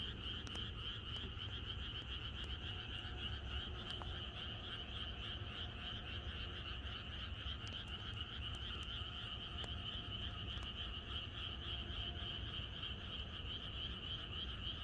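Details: Massed frogs in a rural setting the night before rain, keeping up an even, ceaseless croaking chorus with fine rapid pulsing, a low rumble beneath and scattered brief clicks throughout.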